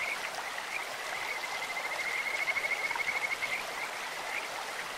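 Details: High, rapid pulsed trill of a Kajika frog in a clear stream, rising in loudness for about two seconds and then stopping, with a few lone chirps and steady water rush behind.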